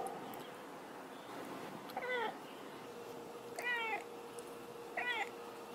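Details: Cat meowing in a funny compilation of cats talking like a human: three clear harmonic meows, each bending up then down, about a second and a half apart, over a steady low hum.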